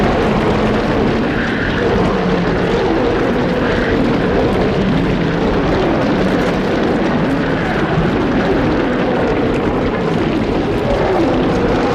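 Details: A continuous, rumbling engine drone fills the whole stretch, much like a propeller aircraft or heavy vehicle. No distinct animal calls stand out above the noise.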